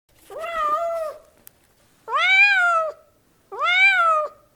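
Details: Domestic cat meowing, from a house cat and kitten calls collection: three drawn-out, arched meows about a second and a half apart, each rising then falling, in a quiet indoor setting.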